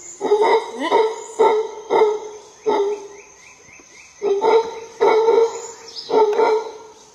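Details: A howler monkey in a Monteverde forest gives deep, hoarse roaring bursts, repeated in short rhythmic pulses.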